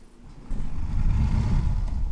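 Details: Alex, a pet rescue cat, purring: a steady low rumble that starts softly, then swells after about half a second and continues evenly with slight pulsing, close to the microphone.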